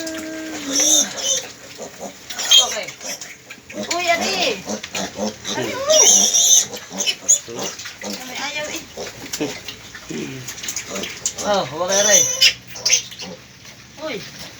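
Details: Pigs at a farm after the death of a sow with ten piglets; repeated high, wavering squeals rise and fall in quick clusters, with loud human speech throughout.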